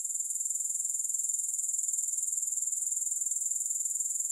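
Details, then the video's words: Unbroken high-pitched insect chirring from grasshoppers, evenly pulsed at roughly four throbs per second throughout, with no pauses, music or other sounds. "Grass Hopper Sounds"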